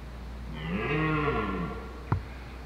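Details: A wild red deer stag holding hinds in woodland during the rut gives a single deep, drawn-out bellowing roar.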